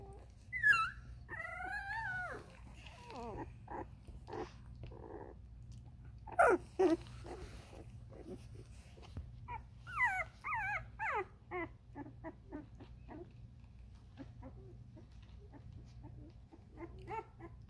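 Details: Ruby's Vizsla puppies at 13 days old letting out scattered high squeals and wavering whimpers in short clusters with pauses between, a few sharper yelps standing out, over a faint steady hum.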